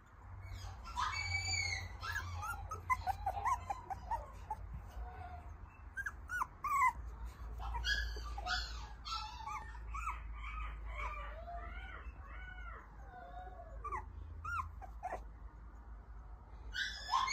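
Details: Toy Poodle puppy, a male, nursing from its mother: many short high squeaky whimpers and rising-falling yelps, often overlapping as several puppies call, with a low steady hum underneath.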